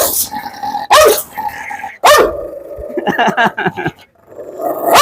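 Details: A biting dog snarls and barks: sharp harsh barks near one and two seconds, each trailing into a drawn-out rough growl, then a quick burst of rasping barks and another growling rise at the end.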